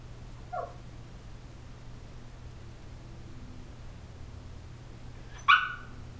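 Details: Eighteen-week-old female Shiba Inu puppy making funny noises while asleep and dreaming; a faint short squeak near the start, then a louder, sharp yelping whimper after about five seconds, over a steady low hum.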